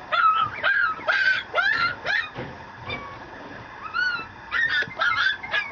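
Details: Male Mameshiba puppy kept at a dog breeder in Japan whimpering and yelping: drawn-out nasal whines that rise and fall, separated by sharp little yips, with a thin sustained whine near the end.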